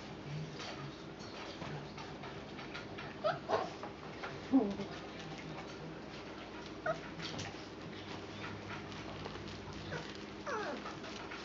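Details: Four-week-and-four-day-old puppies with their mother Valentine and brother Hoyt on an afternoon, March 18, 2013; scattered short whimpers and yips rise in brief bursts over a steady room hum, with a few louder peaks near the middle.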